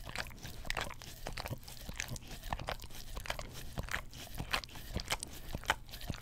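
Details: Close-miked on a Blue Yeti stereo microphone, a family English Cream Golden Retriever works its tongue over an Orapup cleaning brush: moist smacks and sharp sticky clicks, some brighter snaps, tumbling along irregularly.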